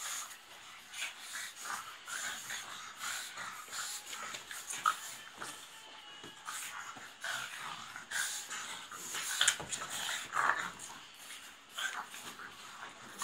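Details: Several pugs wrestle playfully, producing rough wheezy snorts and huffs at uneven intervals, with a few sharper squeaky notes and steady shuffling sounds.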